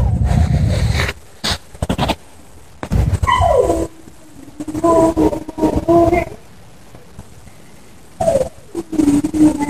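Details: Dog whining behind a high fence in Bendery on 20 January 2018: drawn-out tonal whines that slide downward and hold, in several bouts separated by pauses, with bursts of low rumbling noise between them.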